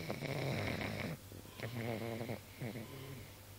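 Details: Pug sleeping comfortably and snoring: a loud rough rattle at first, then a quieter rhythmic buzzy snore with fast fluttering pulses in each breath, the breaths closely spaced.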